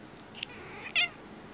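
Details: Keira, a pet cat, reacts unhappily to sneezing with one short, high, strained meow about a second in, after a faint squeak; otherwise a quiet indoor room.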